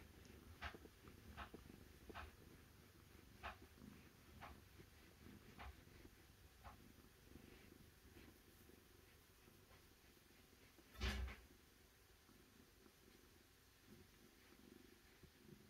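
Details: Cat purring softly and steadily in a low, rhythmic rumble, with scattered sharp clicks throughout and one louder tap near the end.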